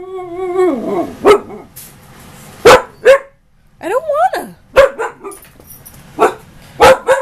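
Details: Female husky, nearly a year old, arguing with her owner indoors: a wavering, howl-like woo rising and falling in pitch, then a second yodelled burst, mixed with sharp clicks and a person scolding.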